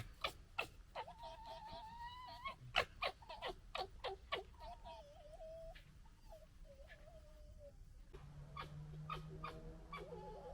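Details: Red fox gekkering amid fighting and general disagreement, recorded in 2021: rapid staccato clicking chatter, with wavering whiny tonal cries in between and a low steady hum in the second half.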